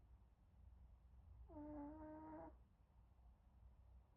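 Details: Napping Pomeranian puppy snoring: one soft, whistling, tonal snore lasting about a second over quiet low background hum.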